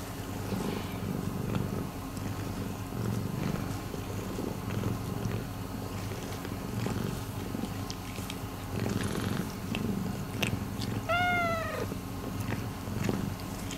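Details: Rescued domestic cat purring in an unbroken deep rumble. Soft clicks and rustles sound throughout, and a short descending mew-like cry comes near the end.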